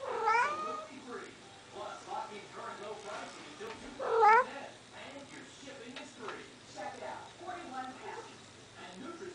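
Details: House cat indoors meowing to demand food: two rising, drawn-out meows about four seconds apart, the second louder, with a person's voice and soft room noises between them.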